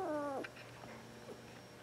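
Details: A two-week-old Border Collie puppy, a female born in April 2014, gives one short whine that falls in pitch and lasts under half a second, followed by quiet room sound and soft rustling.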